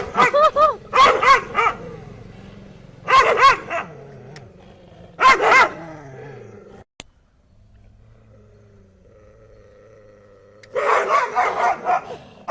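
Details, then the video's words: Dogs barking in sharp clusters of three or four loud barks, bursts repeated every two seconds or so, with a quiet pause and low hum before a final rapid volley. "Dogs barking"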